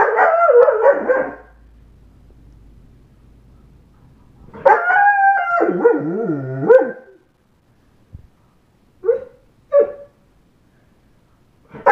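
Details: An 8½-month-old German Shepherd howls in drawn-out, wavering, rising-and-falling notes, then gives a few short yips.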